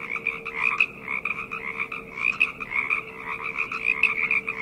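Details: Frogs in a night chorus: many overlapping rapid trilled croaks, rattling notes repeated in quick bursts, layered continuously with a steady faint low hum beneath.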